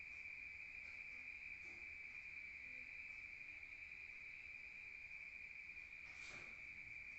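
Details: Rural night-time crickets produce an unbroken, even high-pitched ringing drone, with a short soft rustle near the end.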